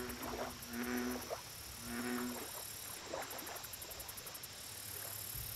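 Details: Two deep, twangy bullfrog croaks at a lake, about a second apart, followed by quieter background with pulsing high insect calls.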